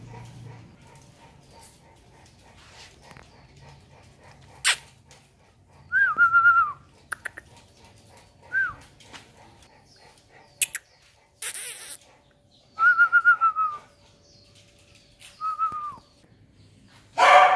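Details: Dogs at a pet dog farm in Yên Mỹ, Hưng Yên, Vietnam: several short, high, whistled whines, each sliding down, spaced a few seconds apart over quiet background with occasional clicks and knocks.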